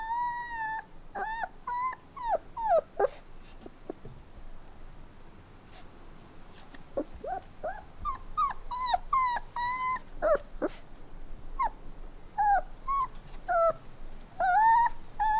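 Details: Puppies crying and whining, a busy run of high, wavering whimpers and short yips that rise and fall, some drawn out, overlapping one another with few pauses across the whole stretch.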